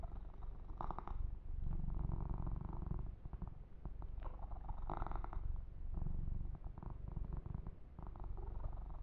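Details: A male kitten named Yumak purrs contentedly while receiving a massage and fur grooming; deep rhythmic rumbling throughout, broken by several brief rustling strokes of hands on fur.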